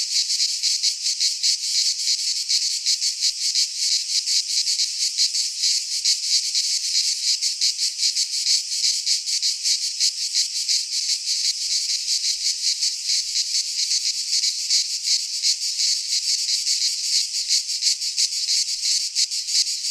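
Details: Cicadas singing in midsummer in a Greek pine forest: a dense, continuous high buzzing chorus with rapid pulsing throughout, steady in loudness, no other sounds.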